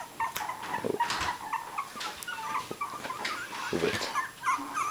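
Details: Three-week-old puppies, several of them, eyes just open, giving thin high squeaky whimpers in short scattered bursts, with rustling and clicking bedding sounds between calls.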